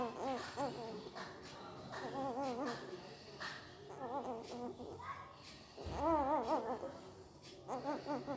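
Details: Sleeping puppy making odd mouth noises, likely dreaming: a run of wavering, quavering whimpers with a trembling, warbling pitch, coming in short bursts with brief pauses between them, in a small quiet room.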